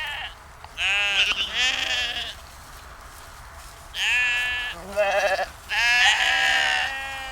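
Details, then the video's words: Several sheep on a dike by the Westerschelde, Zeeland, Netherlands, give about four tremulous, wavering bleats of varying pitch, one cutting into the next, over a low, constant murmur. "sound of sheep"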